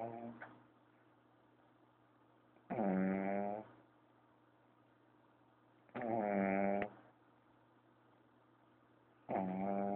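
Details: Sleeping pug Kayla taking a siesta gives heavy rattling snores, one breath roughly every three seconds, each snore a loud buzzy growl lasting about a second; faint low hum in the quiet gaps.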